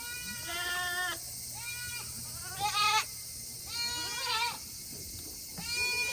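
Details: Farm Tokara goats in Himi, Japan, bleating on a hot August 2021 day while waiting to go back to their shed; a run of short quavering bleats every second or so, one louder and higher, over a steady background hiss.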